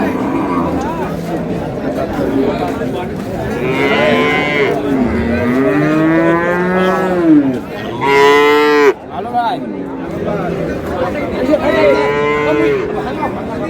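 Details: Improved-breed dairy cows and calves at Ambari market in Dinajpur, Bangladesh; several drawn-out moos, some arching in pitch, one loud harsh bellow near the middle, with a busy crowd murmuring throughout.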